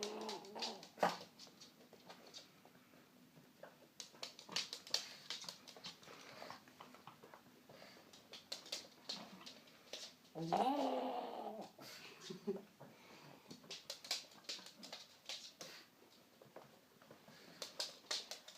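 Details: Female pug indoors celebrating finally getting her bone, usually given as a gift after a walk or trip; irregular snorting clicks and snuffles throughout, with a louder whining grunt in the middle, in a small room.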